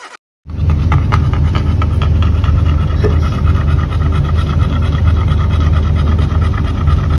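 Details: Chow Chow dog after a walk, panting hard with fast, rough, rhythmic breaths at about three to four per second, steady and unbroken throughout, with a low background rumble.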